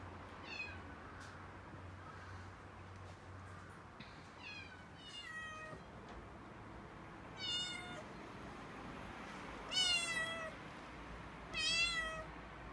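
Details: Six-month-old female calico kitten Mikene panicking and crying indoors while delivery men carry in a new refrigerator in Okinawa; a series of high, harmonic, wavering meows, growing louder and longer toward the end, over low room noise.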